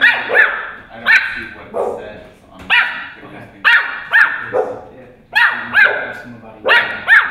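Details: Small Pomeranian puppy yapping at a much larger dog, shrill bright barks in clusters of two or three with short pauses between, roughly nine in all, each bark clipped and slightly descending.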